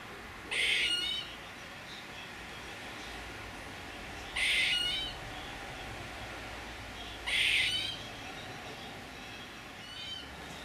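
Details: Squirrel calling with three short, raspy, broadband bursts spaced roughly three seconds apart, with near silence between them.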